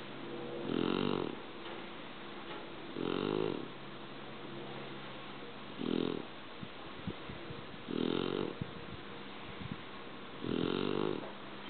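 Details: Sleeping Shar Pei snoring: five rough, rasping snorts, each lasting about half a second and spaced about two to three seconds apart, with faint hiss between them.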